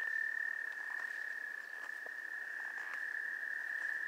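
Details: Wood frogs calling to mate at the Goldfish Pond, Gillette Castle State Park, on 11 April 2021: a dense run of short clucking bursts over a steady high-pitched chorus drone.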